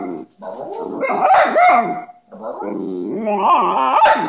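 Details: A pet dog said to be talking: rapid warbling, yodel-like yowls with wavering pitch in two long phrases separated by a brief pause.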